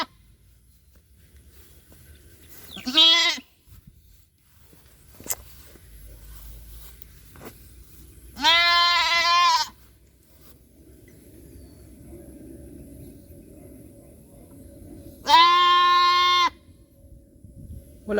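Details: Goat mother calling loudly for her lost kid on a small farm: three long, harmonic, slightly quavering bleats spaced about six seconds apart, with soft background rustle between.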